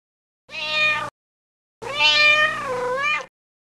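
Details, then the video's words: Kitten on a farm, playing on grass among dogs, rabbits, cows and mice; one short clear meow, then a longer drawn-out meow that wavers and falls at the end, with silence between. "Cat Meowing Video"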